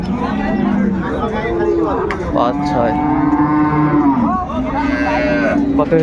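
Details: Cows with calves at Ambari Haat cattle market in Dinajpur on 24 May: long, sustained low moos rise and fall, several overlapping across six seconds, with a steady market murmur underneath.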